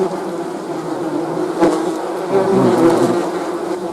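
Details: Short burst of honey bee buzzing: a low, even drone with a louder bee passing close midway and slightly higher whining tones near the end.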